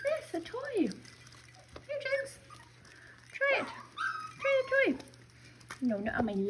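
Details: Six-week-old Miniature Schnauzer puppies from a breeder in Mission, British Columbia, playing indoors with their mother; bursts of high, wavering whimpers and yelps that swoop up and down, separated by short pauses, with a woman talking softly between them.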